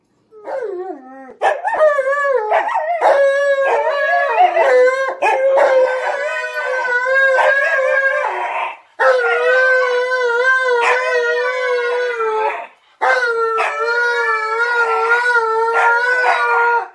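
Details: An Alaskan Malamute 'talks' while teasing a Husky, calling her a name, in long, wavering, howl-like moans that rise and fall in pitch.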